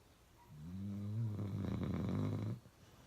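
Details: One long, deep, buzzing snore from the pet dog Uno, rising slightly and holding for about two seconds before stopping abruptly.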